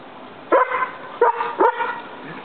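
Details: Collie dog barking at the roommate, which it does all the time: three sharp, mid-pitched barks come about half a second apart, each followed by a short ringing tail.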